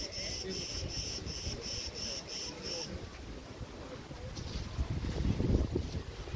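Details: Crickets at Preveli Beach, Crete, in August 2020, among tree branches in the wind: high, evenly spaced pulsed chirps, roughly three per second, for about three seconds before falling silent. Rustling wind runs throughout and builds into louder gusts near the end.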